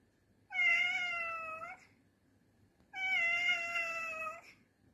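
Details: Pet cat giving a call described as roaring indoors. It makes two drawn-out, steady, clear meows, each lasting over a second, about two seconds apart, in a quiet room.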